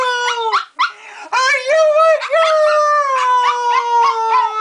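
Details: Joker, a female dog, howls after being called a good girl: long sustained tonal howls that rise and then slowly fall, with wavering pitch, a short break near the start and a person's voice faintly mixed in.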